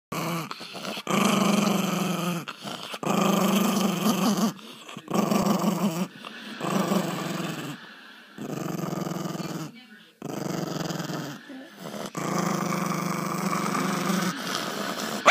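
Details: Angry puppies growling in bursts of a second or two, low rumbling tones broken by short pauses, in a small indoor room with some speech in the background.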